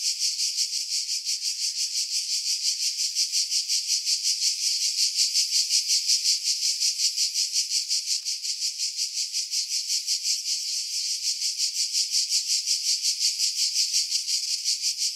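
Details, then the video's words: Cicadas singing in pine trees about 50 m above the sea at Pefkos Bay, Skiros Island, Greece, July 2018, on a Sony RX3 with external mic: a steady high, dry buzz throbbing about three times a second, with low wind sounds filtered away. "Cicada Sounds, July 2018 Skiros, Greece"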